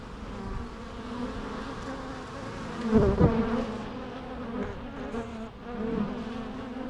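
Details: Bees buzzing in a natural setting, a continuous low hum that briefly grows louder and rougher for about half a second, then settles back to a steady drone.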